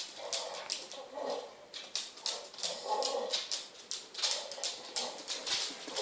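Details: Female Pit Bull producing weird noises with her ball held in her mouth: short, muffled, rhythmic whining grunts about twice a second, mixed with sharp clicking and scraping.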